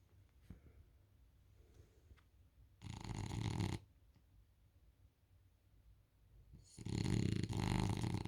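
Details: Isla, a French Bulldog, asleep on a couch indoors, giving two deep, rasping snores about four seconds apart, the second longer and louder, with quiet breathing in between.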